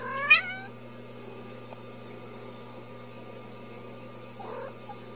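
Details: Ragdoll kitten raised in a home cattery in central Kansas without cages: one short, high, rising-then-falling meow right at the start, followed by near silence and a faint soft rustle near the end.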